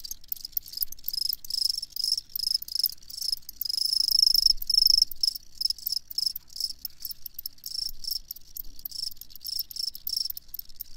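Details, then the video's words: Clear, shrill cricket chirping in rapid bursts of pulses, about two and a half chirps per second, loudest around four seconds, against an otherwise quiet background. "Crickets Chirping"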